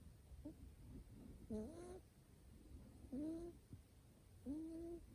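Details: Male Scottish Fold kitten, fold-eared and short-haired, born in July 2019, snoring in his sleep, stated as healthy: three short, whistly, slightly rising nasal tones with faint overtones, about one and a half seconds apart, over a soft steady hiss.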